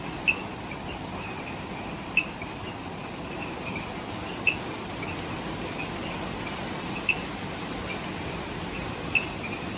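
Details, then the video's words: Forest insects on Ishigaki Island, Okinawa, Japan, calling after sunset at the Omoto-dake trailhead: a softer high-pitched buzzing chorus with crisp clicks every two to three seconds over a heavier low background rumble. "Relaxing Jungle Ambience with Insects"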